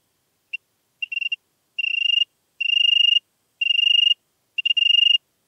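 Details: European tree cricket in Venezia, Italy, 2 September 2021: a series of short trilled bursts that lengthen from a brief chirp to half-second phrases, repeated about once a second, with clean silence between.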